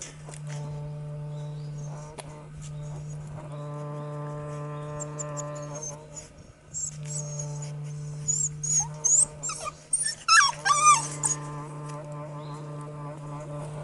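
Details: Four Border Collie littermates born 24 September 2016, aged fifty days, in boisterous play; after a quiet stretch of steady hum, a cluster of shrill, wavering squeals and whines breaks out near the end.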